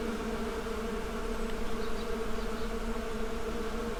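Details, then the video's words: Many bees produce a continuous buzzing drone, a rich, humming chorus of layered low tones that stays steady and unbroken for the whole stretch. "Bee Symphony"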